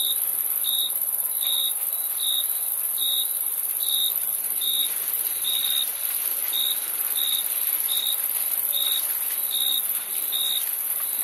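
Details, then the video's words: Crickets chirp in regular short bursts, each pulse bright and clear, coming roughly every three-quarters of a second above a constant shrill drone of other insects. "Crickets Chirping Sound"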